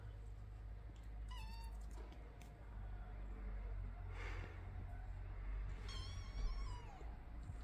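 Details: Kittens indoors, with faint high, thin meows: a short rising-then-falling cry around one and a half seconds, then a longer wavering, falling meow near six seconds, over a low steady background hum.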